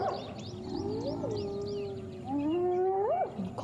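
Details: Spotted hyena gives a long, steady, moaning tone that swoops upward near the end, recorded 10 January 2016 as a clan, with sub-adults present, targets an individual's ears while it struggles to escape; its sex is unclear.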